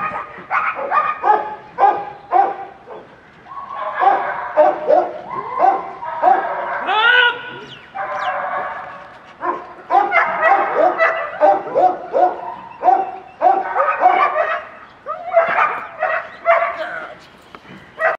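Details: German Shepherd from a breeding kennel, voicing long runs of harmonic yelps, whines and howl-like barks, dense and overlapping, rising and falling in pitch with brief pauses between bursts.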